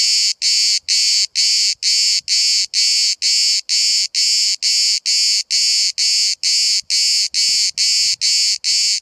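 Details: Cicada recorded very close at Bodrum, Turkey, among hundreds calling through the day; a rhythmic series of strong rasping buzzes, evenly spaced about two each second, with faint low rustling beneath.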